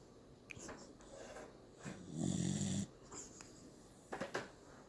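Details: Sleeping dog snoring indoors: one loud, low, rasping snore of about half a second, with quieter breathing and small clicks around it.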